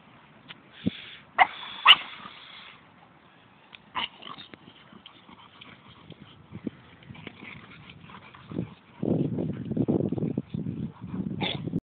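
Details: Three dogs, two Staffordshire Bull Terriers and an American Bulldog; a few sharp, yipping barks early on, scattered softer yelps, then rough shuffling noise over the last three seconds.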